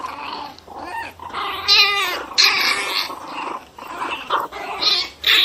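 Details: Angry Pinscher dog snarling in harsh, rising-and-falling growls broken by sharper yelping peaks, several bursts within a few seconds.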